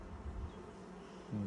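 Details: Honey bees at a hive during the first inspection, six days after nucs were installed: a low, steady droning hum that swells into a louder buzz near the end.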